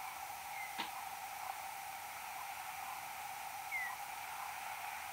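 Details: Search-phase sonar of a common noctule, Nyctalus noctula, night of 6 July 2022, 22:38: two brief tonal sweeps, one near the start and one slightly falling near four seconds, plus a faint click, against constant broadband hiss.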